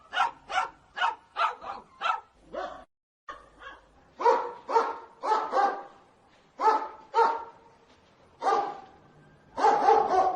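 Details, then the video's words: Dogs barking angrily in a funny compilation: sharp broadband barks, often in pairs or quick runs of three to five, with short pauses between bursts. "Dogs barking sounds angry"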